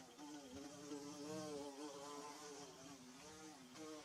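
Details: Bees making their nest, recorded on DSLR and phone: a rich, vibrating drone that bends up and down in pitch as wings pass close, swelling slightly around the middle, over a soft rumbling background.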